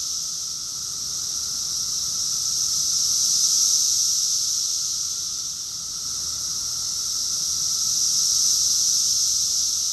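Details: In Rockville, Maryland, USA, during June 2021, a cicada chorus pulses as an unbroken high whine, swelling to a peak, fading briefly, then rising again about five seconds later.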